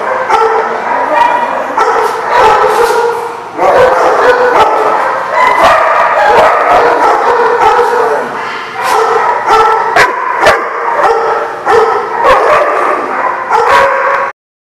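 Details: Group of dogs recorded on 26 August 2016, barking almost nonstop: clustered loud barks mixed with yips and a few drawn-out cries, ending abruptly in silence.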